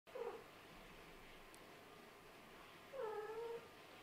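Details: Sleepy kittens of a Scottish Fold mother and British Shorthair father, playing after waking: a short mewing cry near the start, then after a quiet gap a longer, falling meow with clear overtones, over a soft room hiss.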